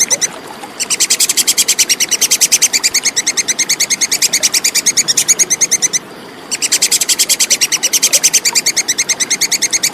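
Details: Plantain squirrel (tupai kekes) giving a clear call, recorded as training material for competition songbirds: a rapid, sharp, ticking chatter of evenly spaced high notes, broken by two short pauses, with no other sounds.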